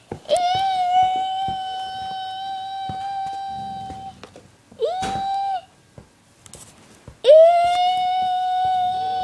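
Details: Indoor dog howling to sung Mickey Mouse tune, drawn-out flat howls that rise sharply at onset, one lasting about four seconds, with brief voice sounds and small knocks between them.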